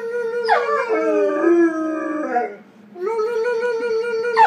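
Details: A 14-month-old male Weimaraner howls in long, wavering notes that slide downward, then starts a second howl.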